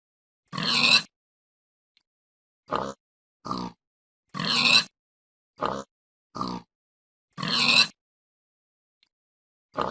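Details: Domestic pig giving repeated grunts: three long rasping squeal-grunts spaced about three seconds apart, each followed by two short clipped grunts, clean silence between.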